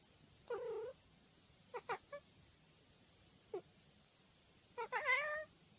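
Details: Domestic cat meowing: a short wavering meow, a few clipped chirps, then a longer rising-and-falling meow at the end, indoors with little background noise.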